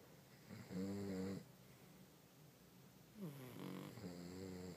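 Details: Pug named Ruby sleeping in bed: two drawn-out, tonal snores, the first about a second long, the second longer and wavering upward, separated by quiet breathing in a small room.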